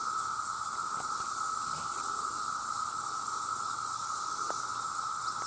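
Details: Male cicadas calling en masse to attract mates, a loud, continuous, steady whining drone joined by a fainter high hissing band, with a few faint clicks.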